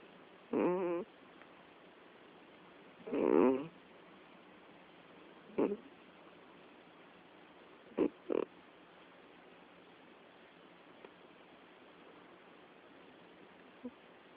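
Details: Domestic cat known as jubycat snoring indoors: rough, snorting breath bursts, some buzzy and others short and clipped, come at uneven gaps, about six across fourteen seconds, with quiet stretches between them.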